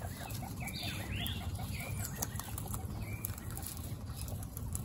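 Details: Guinea pigs at a first meeting with three baby guinea pigs, in a household of 29 pets. Near the one-second mark come a few short, high rising squeaks, then fainter chirps, all over a steady low rustle of bedding and moving feet.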